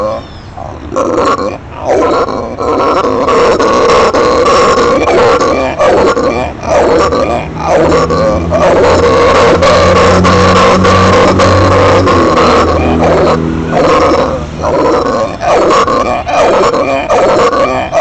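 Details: A pet howler monkey, apparently roaring because it has become adult, gives a deep, guttural roar in long, rasping, pulsing bursts, with people talking nearby.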